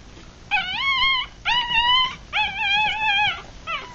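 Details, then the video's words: Three-day-old Rat Terrier–Chihuahua cross puppies, eyes still closed, feeding; three drawn-out high whining cries about a second each, slightly wavering, separated by short gaps, with a fourth starting at the end. "3 Day Old Puppies"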